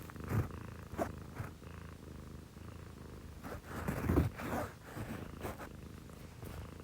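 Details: Pet cat at 6 a.m., one of two females (a Scottish Fold and a Munchkin), purring close by: a low rumble punctuated by louder breathy surges and snuffling bursts, plus some handling rustles.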